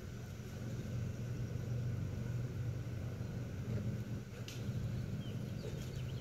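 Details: Wisconsin honey bee swarm recorded in June 2016 during an attempt to catch it: an unbroken deep buzzing drone swells slightly and fades, with one faint bird note near the end.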